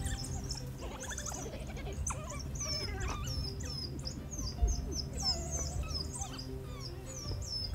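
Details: A pack of African wild dogs, playful and submissive after feeding and very close by, twitter in high, bird-like squeaks, a chorus of short chirps used in social interaction.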